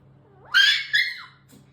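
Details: A Shiba Inu talking to its mother with the strange squeal it has used since puppyhood: a whine that rises into a loud, shrill double scream, then tails off, over a faint background hum.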